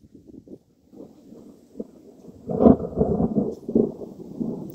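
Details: Low rumbling, rustling and splashing noise swells and fades at a summer lake, with no animal voice standing out.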